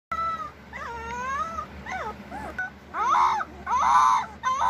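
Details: Basset Hound (Canis lupus familiaris), howl.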